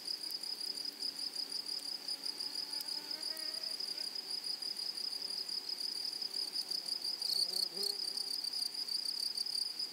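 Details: High, unbroken buzzing of meadow grasshoppers on a flowery prairie. A brief louder rasp comes after seven seconds, and faint, low chirps sit beneath the steady ringing tone.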